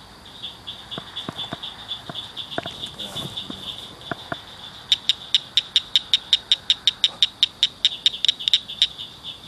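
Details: At night, frogs by a ditch culvert start with scattered faint clicks. Then one launches a steady run of sharp, high chirps, evenly spaced about five per second, over a soft background hiss.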